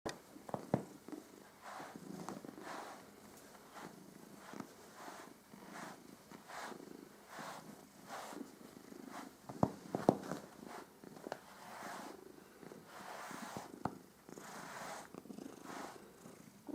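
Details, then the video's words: A pet cat purring while its fur is groomed, a steady low rumbling purr pulsing in regular cycles about twice a second, with occasional soft clicks and brushing sounds. "Katze schnurt bei der Fell Pflege"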